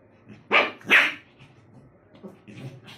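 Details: Lhasa Apso dog during a serious fight: two loud, sharp barks in quick succession, half a second apart. Softer rustling and faint low growls follow.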